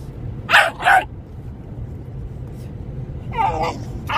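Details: Two American Staffordshire Terriers at play: two quick, sharp barks close together early on, then a softer, rougher vocal burst after a pause, over a steady low background hum.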